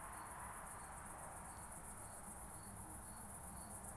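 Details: Oak bush-cricket recorded 18 July 2023 at Starnberg, Germany, via Pettersson D 100 ultrasound detector: sparse short ticks at irregular gaps of about half a second, partly buried in loud steady hiss and low rumble.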